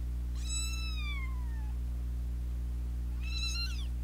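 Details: Battling kittens, two siblings fighting since day two while an older sister intervenes; two shrill meows, the first long and sliding steeply downward, the second shorter, about three seconds apart, with a steady low hum beneath.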